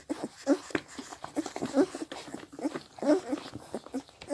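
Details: Seven Scottish Deerhound puppies aged 16 days smacking and slurping as they drink from their mother, short wet bursts with little squeaks and whimpers, faint background noise.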